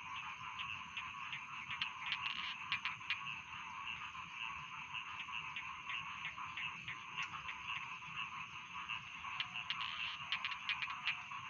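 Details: Rice field frogs call in chorus, with sharp, clicking croaks standing out in quick bursts, especially near the beginning and the end, over a constant buzzing background of more frogs.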